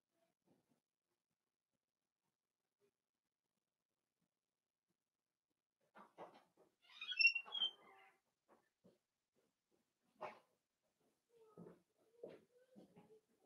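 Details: Five blenheim Cavalier King Charles Spaniel puppies, born at New Year, play with their mother Paris in an indoor puppy pen. A long quiet spell gives way to a burst of high, squeaky whines and yips, then scattered soft short squeaks.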